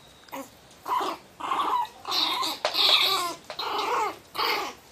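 A Miniature Pinscher snarls in harsh, rising bursts, warning others away from the box it guards.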